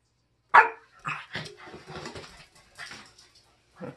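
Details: French Bulldog indoors, playful after a bath: one sharp bark, then a few softer yips and grumbling barks over about three seconds, with a final short bark; people laughing nearby.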